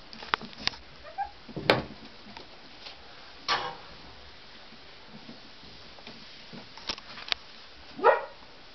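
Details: Tibetan Terrier puppies, born on October 23 at the Khjim-pa kennel to prize-winning parents, give a few short, sharp yips and barks spaced irregularly, near 1.7, 3.5 and 8 seconds, with quiet stretches and faint clicks between.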